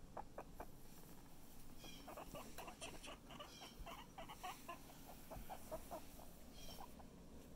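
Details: Chip, a pet guinea pig feeling a lot better, gives quick series of low clucking chuts in irregular bursts, with a few short high squeaks between them, over a steady low background hum.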